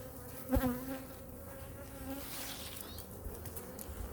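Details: Honey bee colony in hive #2 during a winter inspection with a food-reserve check and feeding. A steady low droning hum with a clear overtone above it, a brief louder knock near the start, light handling rustle throughout.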